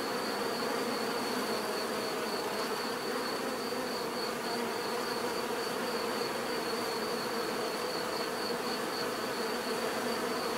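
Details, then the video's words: Bees in a constant swarm-like drone, their natural buzzing an even, unbroken hum with no single insect standing out, beneath a faint steady high-pitched whine. "bees therapy relaxing natural buzzing sound"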